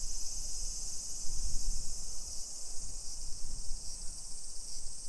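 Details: Cicadas in summer, recorded at 1 PM on 28 July 2021 on a residential hillside in Nisshin, about 20 km from downtown Nagoya, Japan. A dense, even, high-pitched drone continues over a murmur of low street sounds.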